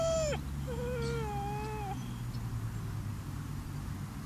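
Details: Chocolate Labrador puppy, seven months old, crying at a graveyard: one sharp high whine followed by a softer, falling whimper lasting about a second, then quiet with low background hum.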